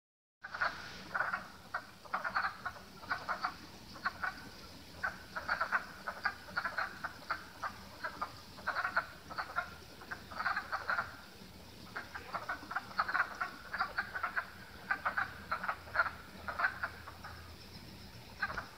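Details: Several frogs calling in a front pond, rapid rasping croaks in irregular overlapping bursts, clustered in short volleys every second or so throughout, over a steady soft background hiss.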